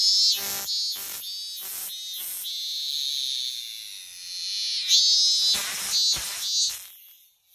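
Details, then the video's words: A lone cicada on a tree in summer in Japan, singing a loud, shrill, high buzzing drone broken by a series of rapid pulsing bursts at the start and end, with a sustained wavering stretch in the middle. "Cicada Summer Sounds in Japan - A Lone Cicada On The Tree."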